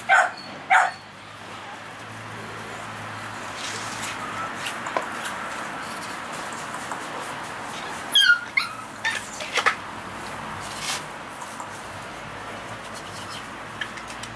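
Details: Male American Bully of the pocket type barking: two short, sharp barks within the first second, then a cluster of quick barks between eight and ten seconds, with long quiet stretches of steady background hiss between them.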